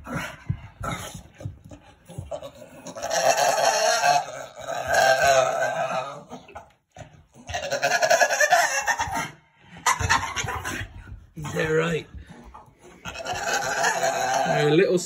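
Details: Jinx, a female blue Staffordshire Bull Terrier, excited about going to pick up her owner, gives long, wavering, turkey-like bleating howls that rise and fall in pitch.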